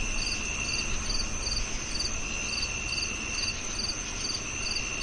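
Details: Cricket chirps, about 143 per minute: short, high, buzzy pulses in a loose but steady rhythm, set against a constant thin whine and low background noise.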